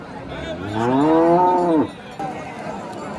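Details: Hallikar cattle at a cattle market in T. Narasipura, 10 August 2026: a single loud, drawn-out moo of about a second, rising slightly then dropping sharply at the end, over background market murmur.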